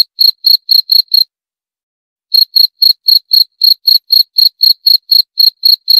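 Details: Cricket chirping in quick regular pulses, around four a second, breaking off for about a second of silence before starting again at the same even pace; clean high tone, no background noise.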